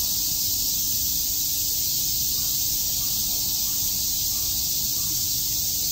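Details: Cicadas fill a summer day at Shakujii Park, Tokyo, with an even, high, hissing buzz that stays level throughout, over a faint constant low hum.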